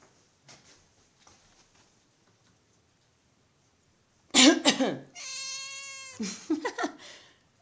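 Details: Female house cat Sausage, who meows whenever her owner coughs. A sharp human cough comes first, then a steady, drawn-out meow of about a second, followed by a short spoken remark.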